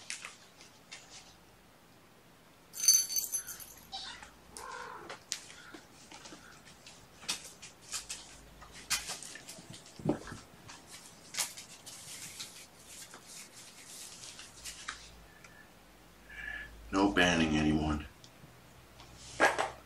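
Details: Mother cat Gamora, with her five kittens born April 14, calling the babysitter to come in on the morning of 6 June 2018; one loud, harmonic meow near the end among scattered clicks, rustles and soft household noise.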